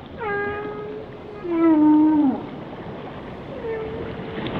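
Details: Whale song made of steady, flat tonal notes with bright harmonics. A loud descending moan sits in the middle, followed by a softer, higher tone over a hiss of ocean background.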